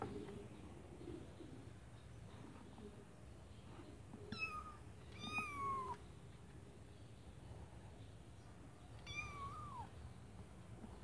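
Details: Kittens in a white bucket meowing: three clear high mews, each bending down at its end, spaced a few seconds apart over a low room hum.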